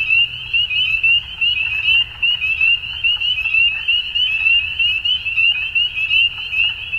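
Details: At dusk, many frogs call together in a shrill, unbroken trill, rapid pulses overlapping into one high ringing band with small rises and dips in volume.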